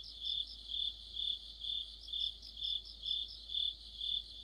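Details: Crickets with other insects in an autumn night chorus under a streetlight, high ringing trill beating in rhythmic swells about every half second.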